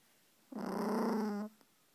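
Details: Angry Russian Toy Terrier producing a single steady low growl lasting about one second, with a faint click just after it ends.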